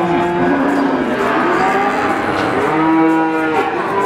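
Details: Calf calling with overlapping moos, several arched harmonic calls layered together in a busy, continuous chorus with no clear gaps.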